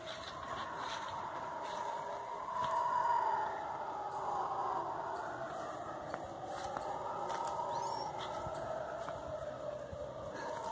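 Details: Howler monkeys calling in the forest, a call heard at night and before dawn: a distant, eerie roaring chorus of overlapping drawn-out moans that swell and fade across ten seconds, with faint clicks and light background hiss.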